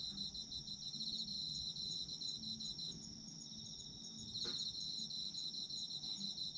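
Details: Chorus of autumn insects, meant as a sleep soundscape: high ringing trills and rapid pulsed chirps layered together, with one brief sharp click near the end and low background murmur.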